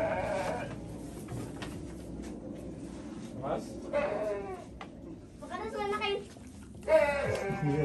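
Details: Goat bleating while being fed: a few short wavering nasal bleats rising over ongoing Indonesian conversation, with a louder bleat near the end.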